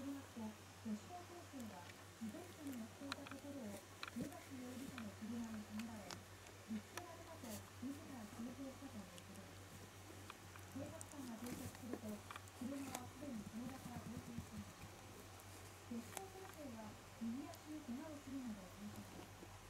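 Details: Young Shiba Inu puppy that cries at night, starting feebly and growing loud and hysterical. Here a steady run of low, quavering whimpers with short rising-falling arcs repeats almost continuously in a quiet room, with faint clicks and rustles.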